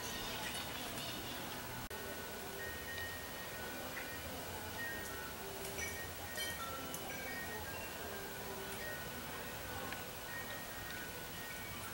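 Gentle chiming music with sustained bell-like tones and a soft low pulse throughout; no clear animal calls stand out.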